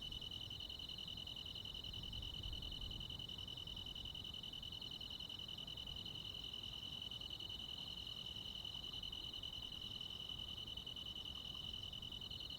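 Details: Night chorus of crickets and other insects in the countryside in summer: one continuous, even, piercing trill with no breaks, over soft low background noise.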